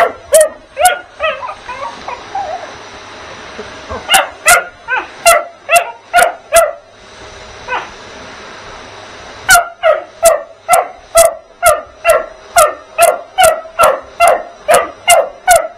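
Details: Bugs the puppy yapping at a vacuum cleaner in three bursts separated by quiet gaps, the final run fast and steady, about twenty high sharp barks in all against the appliance hum.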